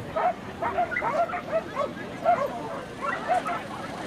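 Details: Norfolk Terrier filmed June 22, 2013: a quick run of high, clipped yaps every third of a second, a brief pause, then a few more barks, over low crowd chatter.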